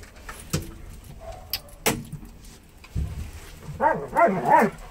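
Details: One of two Alaskan Malamutes in a very small elevator gives a brief wavering, arching howl after a few metallic clunks and rattles.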